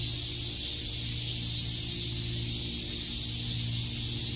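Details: Cicadas chirping on a summer day at Shakujii Park in Tokyo; a dense, unbroken high-pitched buzzing drone holds steady at even loudness throughout, over a faint low hum.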